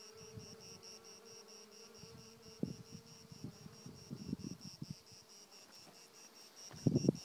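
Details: Bees working thyme bushes on a spring morning in 2019 on Mount Kithaironas, Greece, beside nine strong hives at a new site; a steady low buzz holds one pitch for about five seconds over a constant high insect whine, then a brief rustle.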